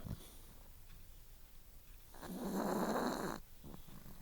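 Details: Dixie Belle, a four-year-old female chihuahua, snoring loudly during a nap indoors: after quiet breathing, one rough, raspy snore swells for about a second, then gives way to softer breaths.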